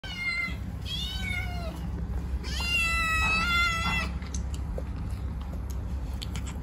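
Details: Two talkative kittens, Cash and Money, vocalising while eating: two drawn-out, strongly harmonic meows, the first wavering and falling, the second longer and steadier, over a constant low rumble and a few faint clicks.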